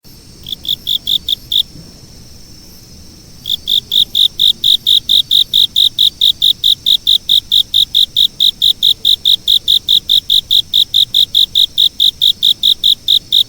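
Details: Insect chirping in high, shrill pulses, about two to three per second, briefly paused early on before resuming in a steady, even rhythm; no other sounds stand out.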